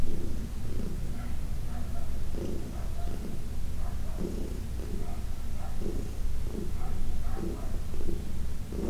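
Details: Heidi, an elderly domestic cat from the Humane Society of New York City, purring under massage: a loud, throaty rumble rising and falling in rhythmic waves, slightly louder at the start.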